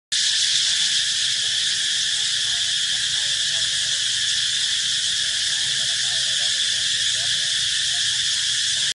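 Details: Cicada singing at Cu Chi, a suburban district of Ho Chi Minh City, Vietnam, in May 2015: a loud, unbroken, high-pitched buzzing drone holding steady throughout, with no pauses.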